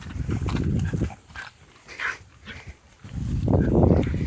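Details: Dogs romping with a found stick, low rumbling play growls in two rough bursts at the start and end, separated by a quieter stretch of scuffling and soft huffs.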